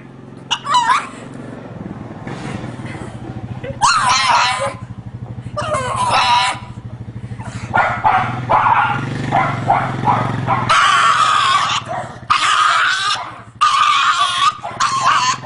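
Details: Crying dog giving a string of high, wavering whimpers and yelps, louder and longer toward the end, with a constant low rumble like a vehicle underneath.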